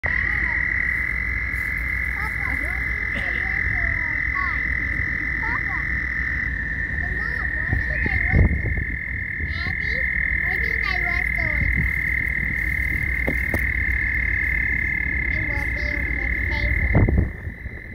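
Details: Mating frogs: a dense chorus holding one continuous high shrill tone throughout, overlaid with scattered short chirps and rising sweeps, plus occasional louder knocks near the middle and end.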